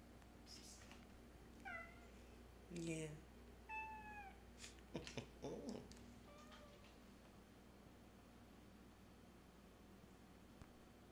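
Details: Pet cat Harry lounges in the sun on a very warm day and chats with a person. Short meows fall in pitch, scattered over several seconds between the person's remarks, then the cat goes quiet.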